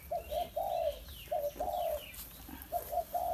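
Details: Thai Bangkaew puppy, offspring of Bai Tong, now able to drink from a large milk bottle, giving a run of short, high, tonal whines in quick succession, some slightly falling, with brief gaps between and a quiet background.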